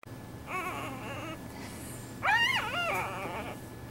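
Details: A newborn clouded leopard cub, an endangered species, born at Tampa's Lowry Park Zoo, gives thin, wavering, cry-like mews in two short bouts.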